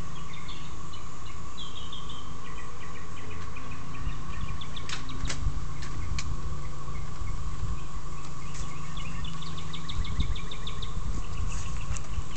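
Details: A collective of cicadas holds one steady, unbroken, high-pitched drone while small birds chirp; beneath it is a low rumble as someone nearby cuts their yard.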